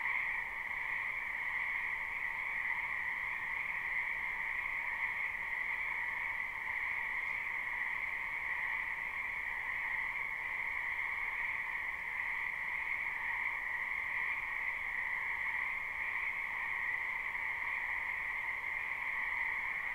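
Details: Spring night-style frog chorus from a wetland, live recording without loops: a seamless, uniform hum of many overlapping croaking frogs in two constant pitch layers for the whole stretch.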